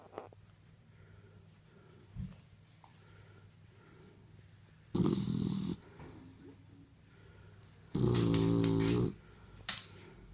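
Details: A five-month-old Shar Pei puppy snores while asleep. A low steady rumble runs throughout, broken by two loud, harsh, buzzing snorts near the middle and the end.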